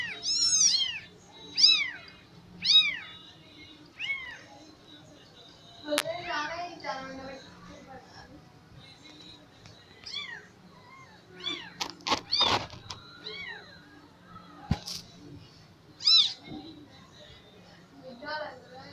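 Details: Persian cat with four kittens: repeated arched meows, some thin and high like kitten calls, with a few sharp clicks and knocks and quiet voices in a small room.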